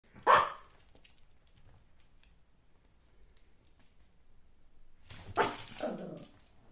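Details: A Yorkshire Terrier indoors, puzzled by a kitten in a basket, gives one sharp bark, then after a long quiet stretch a rougher growly bark with a falling tail.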